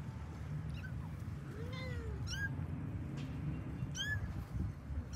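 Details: Pet kittens of a cat family calling while finding their mother: several short, high, rising-falling meows with one lower, longer mew near the middle, over a steady low rumbling background.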